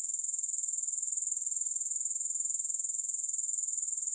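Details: Continuous shrill grasshopper trill, free of music, beating evenly at about two pulses a second. The high sizzle holds a constant volume with no other sounds.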